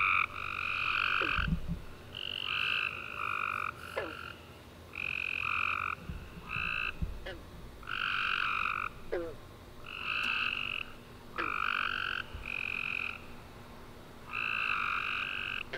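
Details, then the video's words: Tree frogs singing at night after a rainy warm summer day, many overlapping trilled chirps of varying length repeating every second or two in a steady chorus, with occasional sharp clicks and low thumps. "Tree Frog Chorus After A Warm Rainy Day"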